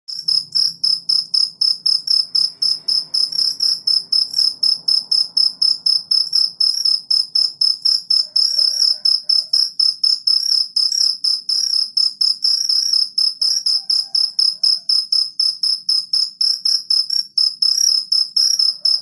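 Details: Cricket calling in the morning; continuous high pulsed chirping, about four pulses a second, steady and bright with a faint low hum beneath.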